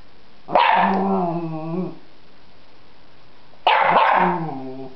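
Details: Freddy, a dog barking at a butterfly in a yard, gives two long, drawn-out bark-howls with clear harmonic bands, each about a second and a half, falling slightly in pitch, with a quiet pause between.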